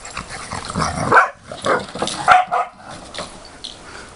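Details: Dogs playing in September 2013 give a run of short, yelping barks and whiny yips, bunched into three quick bursts in the first half, then fainter, softer sounds over a steady rustling background.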